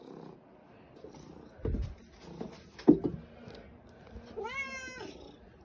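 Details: Fluffy white house cat demanding breakfast from its owner: knocks and rustling first, then one drawn-out meow that bends up and falls away near the end.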